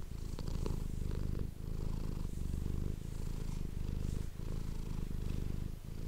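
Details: Domestic cat purring, recorded close up with an ASMR microphone indoors: a steady low rumbling vibration with fine pulsing texture, rising and falling with each breath in phases of roughly one and a half seconds, with faint soft clicks.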